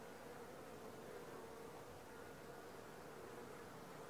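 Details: A continuous hum of many honey bees at a Langstroth hive entrance, the fourth day after the colony was transferred from a nuc. The even drone does not vary, with a soft hiss underneath.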